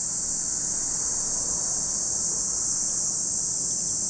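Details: Steady shrill buzzing of cicadas by Lake Kamo, Sado City, Niigata Prefecture, Japan, a dense high-pitched hiss sustained evenly throughout with a soft low background hum.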